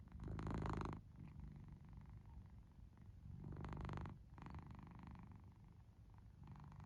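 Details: Domestic cat asleep, giving a continuous low rumbling purr with rhythmic louder breathy inhalations roughly every three seconds, each a harsh rasp over the steady drone; quiet indoor background.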